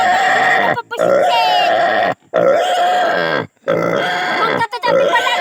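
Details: Native pig squealing during castration: loud, sustained, strained squeals held for about a second or more each, four long bursts separated by brief silences, with harsh rasping edges and no other clear sounds.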